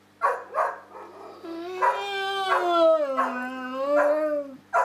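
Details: Samson, a pet dog, talking with Josie indoors: a long, wavering howl-like moan with rich harmonics, sliding gently up and down over several seconds, with short bursts of a person's voice at the start and end.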